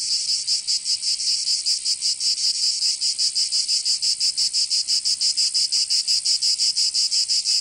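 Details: In southern France's Provence during summer, cicadas produce a shrill, rasping drone beating in rapid regular pulses, around three per second, filling the whole stretch without pause.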